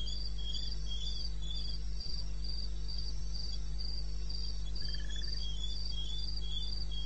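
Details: Wilderness of eastern Botswana at 2:30 AM, 21 May 2016: crickets give rapid, very regular high chirps, a second lower caller alongside, a brief softer trill midway, and a constant low hum beneath.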